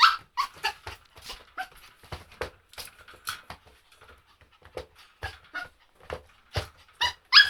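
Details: Dog giving a rapid, uneven run of short sharp yelps and barks, some high and squeaky, others lower, with brief quiet gaps between bursts and stronger yelps near the end.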